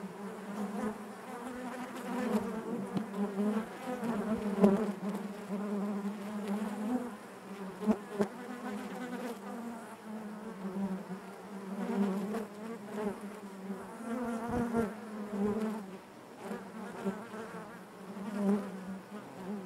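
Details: Inside a honey bee hive, the colony makes a thick, unbroken drone, its low hum wavering in strength with scattered taps and bumps throughout.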